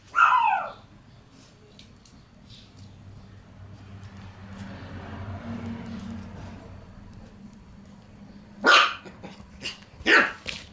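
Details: Black Shiba Inu male puppy born on 11 March, enjoying a tunnel he was given. A short falling yelp opens, then after a quiet stretch of low steady hum come two sharp, loud barks about a second and a half apart.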